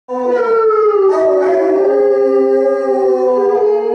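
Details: Basset Hounds Radar and Otter with Bloodhound Jefro harmonizing their howls: long sustained overlapping tones, several voices layered at slightly different pitches, holding steady and gently wavering for the whole stretch.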